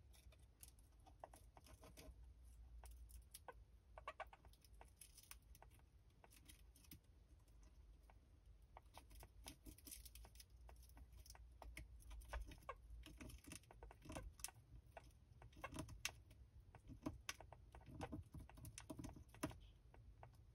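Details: A golden hamster nibbles dried snacks, dried mulberry leaves, dried acacia flowers, rosebuds and dried mealworms, making a quick run of tiny crisp clicks and crunches.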